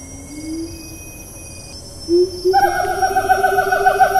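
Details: Siamang recorded on 4 April 2019 in Taman Negara National Park, Malaysia, in rainforest: a soft rising hoot gives way to a loud, sustained, strongly harmonic call that pulses steadily, with a thin high insect hum behind it.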